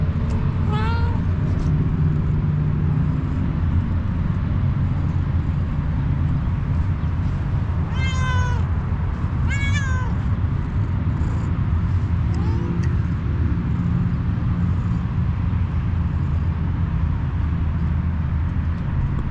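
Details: Kitten meowing outside where stray cats gather for food: a few scattered short meows, one early and two around the middle, then fading, with persistent low traffic rumble throughout.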